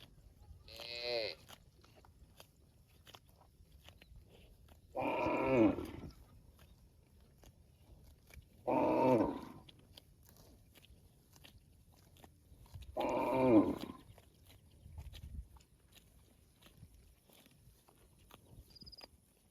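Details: Cow mooing, said to be calling its extended family: four loud, drawn-out harmonic moos, each about a second long, spaced roughly four seconds apart, with a fainter shorter call near the end and quiet low background rumble.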